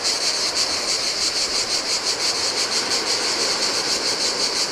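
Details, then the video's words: Greek island beach by the Adriatic in the heat, cicadas giving a steady high rasping drone that throbs in quick regular pulses, with gentle ocean waves washing over the sand beneath. "Cicadas by the Sea - Ocean Waves & Cicada Sounds"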